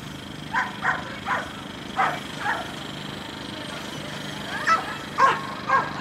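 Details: German Shepherd named Delilah at her first AKC Coursing Ability Test in Perry, Georgia, April 13, 2012: a run of short sharp barks and yips, several within six seconds, irregular spacing, over steady background hum and faint voices.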